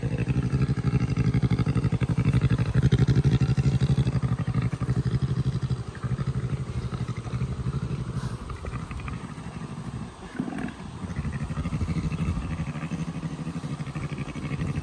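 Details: Jenny, an adult Syrian brown bear, purrs while suckling on her keeper's hand during brushing, a contented behaviour typical of cubs: a deep, rapid, steady motor-like rumble, briefly broken near the ten-second mark.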